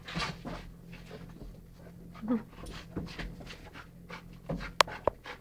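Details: Two dogs, a Rhodesian ridgeback and a chocolate labrador named Beau and Ted, playing indoors in November 2011; quick irregular huffing pants, a brief whimpery squeak, and sharp clacks toward the end.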